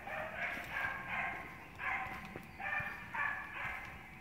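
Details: Six-month-old Beagle puppy barking in a steady series of rough, mid-pitched barks, about one every half second, over a low background rumble.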